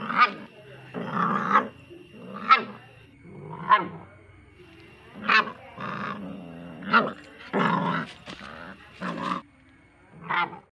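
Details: A small puppy barking: about ten short, sharp, yapping barks in uneven bursts, some doubled, with brief gaps between them and a faint steady tone in the background.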